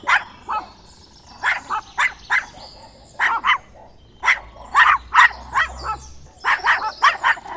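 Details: Dogs barking: quick, sharp yapping barks in irregular clusters of two to five, short gaps between groups, a faint low hum in the middle.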